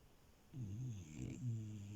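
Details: French Bulldog named Milo asleep on a bed, giving a low, droning snore with a rough, wavering tone that swells and dips over about one and a half seconds in a quiet room.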